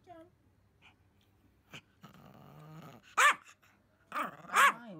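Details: Pomeranian indoors, one of the pair Pon and Simba, gives two loud, sharp bark bursts after a quiet stretch with faint rumbling and soft voices.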